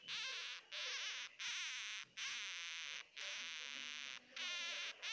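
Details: Crying of a baby hamster, heard as long, loud, shrill, buzzing squeals that waver up and down in pitch, some lasting nearly a second, broken by brief pauses.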